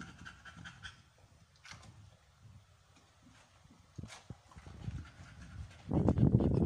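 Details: Amber, an American Bully female on her 56th day of a first pregnancy, in labor, panting rapidly in short breathy puffs, with a louder burst of breathing and rustling near the end.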